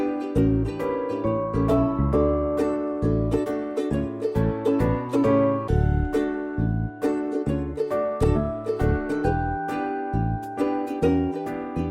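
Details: A plucked ukulele tune in a bouncy children's-music style plays throughout, with no animal voice audible.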